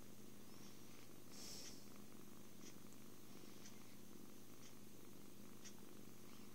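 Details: Kitten's happy purr during cuddles, food and sleep, taken on an Android phone; a dense low vibrating hum, steady throughout, with breath pulses roughly every second and a short rustle early on.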